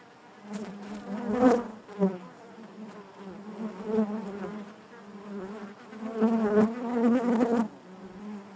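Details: Inside a honey bee hive, many bees produce a continuous low buzz that rises in loud surges around the middle and near the end, with faint knocks beneath the hum.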